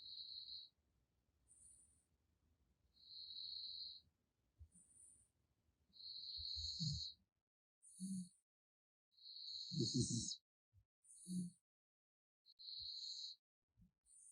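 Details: Gaettongi the raccoon snores in its sleep, producing steady whistling nasal notes and short high squeaks, later mixed with louder rough snorts and breathy exhalations at a quiet, irregular pace.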